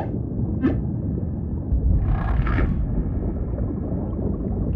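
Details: Humpback whale singing underwater: a short rising squeak, then a rough, buzzy groan about two seconds later, over a constant deep ocean rumble.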